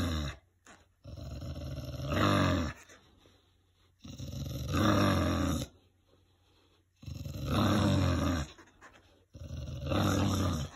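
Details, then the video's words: English bulldog Winston, a gentle pet, rumbles with engine-like growls while playing; four extended low growl bursts, each swelling louder toward its end, spaced by quiet breaths. "My Bulldog Growls like a V8 Mustang"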